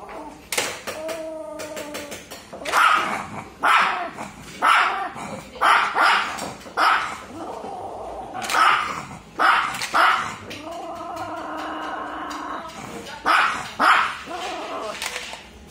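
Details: Maltese dog barking: a run of sharp, high yips and barks coming every second or so, some drawn into whiny tonal notes, with short pauses between bursts.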